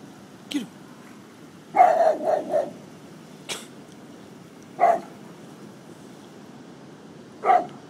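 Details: Golden Retriever barking at prams: a quick burst of four barks, then single sharp barks at irregular intervals, with a soft high yelp near the start and a quiet background.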